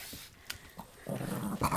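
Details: A Boston Terrier gives a low, rumbling growl that swells in the last moments while fighting his brother for a toy under a table.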